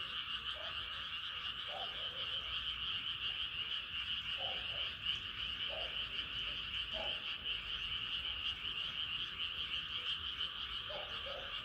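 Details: Frogs calling in the middle of a moonlit night: a continuous shrill trilling chorus fills the background while short, softer croaks pop up irregularly, several in quick pairs.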